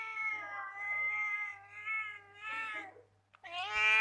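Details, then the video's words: House cat producing a long, wavering series of soft meows that rise and dip in pitch, broken into several phrases, a short pause, then one louder, rising meow at the end; otherwise quiet. "Cute Cat Making Sweet Noise"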